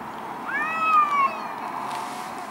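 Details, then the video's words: Garden fight between two angry cats: a single strained yowl that rises then slowly slides downward over about a second, ending abruptly against faint background hiss. "Angry Cats"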